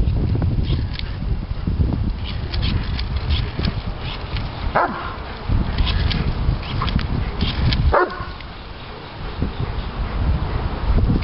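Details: Three-year-old Doberman Pinscher Diesel in a complete fit of excitement over his beloved bubbles: two sharp, sliding yelps several seconds apart stand out against constant low thumping and scuffling noise.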